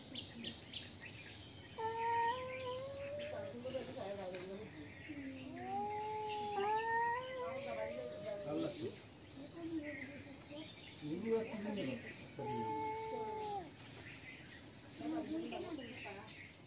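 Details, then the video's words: Fighting cats give a string of moaning, rising-and-falling yowls broken by harsher growly bursts and short pauses, building and easing across the stretch. Light bird chirping continues in the background. "Cats Fighting with sound"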